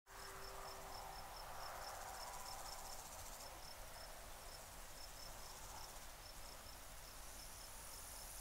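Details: A male and female Iberian grasshopper (Omocestus bolivari) sing in the Sierra Nevada, Andalusia, Spain, on 2 July 2022. The song is a high, thin run of brief rasping pulses at a quick, even pace over soft background hiss.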